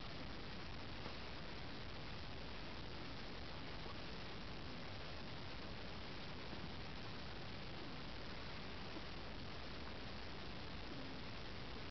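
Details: A steady, even hiss of static noise fills the whole recording.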